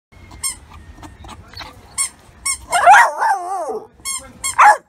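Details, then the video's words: Dog barking in a compilation of funny dogs and puppies: high, thin, ringing yaps scattered unevenly, broken midway by a wavering, warbling whine, then more sharp yaps near the end. "Dog Barking - Funny Dogs Barking And Puppies Barking"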